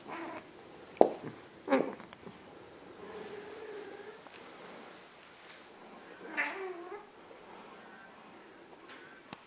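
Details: Two Ragdoll cats, one big and one small: soft, brief mews over a quiet background, with one clearer wavering meow near the end and a few sharp clicks or taps earlier on.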